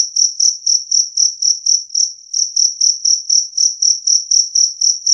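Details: Loud, clean two-spotted cricket chirping: shrill pulses repeated roughly four times a second, briefly faltering near the two-second mark before resuming the same beat.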